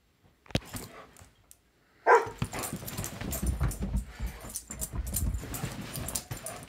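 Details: A black Labrador Retriever stands watching a Weimaraner's zoomies and gives a single sharp, loud bark over scuffling and thumping noises.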